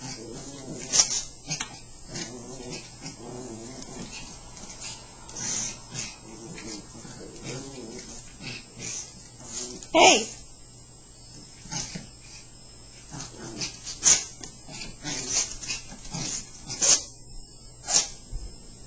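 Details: Chihuahuas Happy and Sammi wrestle playfully, trading low rumbling growls and brief whiny rises in repeated bursts, broken by sharp knocks and scuffles of their play, over a faint constant hum.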